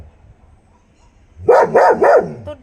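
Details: Guarding pet dog in India barks in the morning for its friends, who are far away and not replying: three rapid, evenly spaced barks after a short quiet lead-in.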